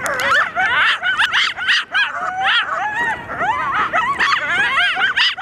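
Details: Chorus of coyotes yipping and howling in reply to sirens, dense overlapping high yelps and warbling howls in rapid bursts, many voices at once with no pause.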